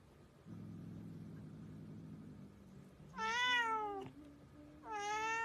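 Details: Talkative pet cat indoors over a low steady hum; after a quiet stretch it lets out two loud meows, the first bending down and trailing into a softer note, the second short and level.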